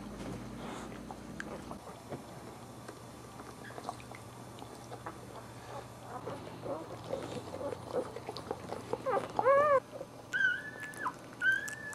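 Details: Newborn Boxer puppies nursing from their mom: soft rustling and shuffling, then several thin, high squeaking cries bunched near the end, some bending up and down in pitch.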